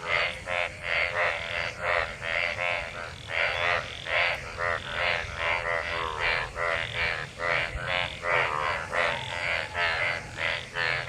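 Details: Dense monsoon frog chorus from many mating frogs in rain-gathered water: relentless, rapid croaks with stacked harmonics, callers overlapping almost without pause, over a steady low hiss.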